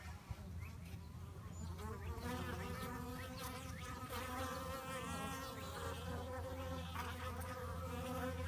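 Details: Bees fight with an intense, continuous buzz: wavy, vibrating tones that grow stronger after the first two seconds over a constant low hum.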